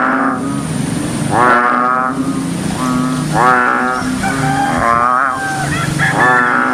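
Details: A big frog croaking on a rainy day gives harsh, buzzy, rich nasal croaks in short pulsed bursts every one to two seconds, over a low, steady mechanical drone.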